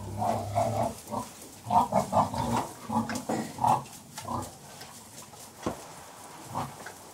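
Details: Sows with their piglets in farrowing pens, calm and contented; bursts of short rhythmic grunts in quick clusters over the first four seconds, then fewer grunts amid quiet pen rustling.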